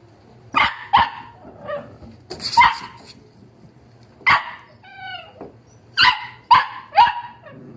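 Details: Wire-haired Dachshund puppies from a litter of seven siblings yipping and barking in short high bursts at irregular intervals. A brief whine comes about midway.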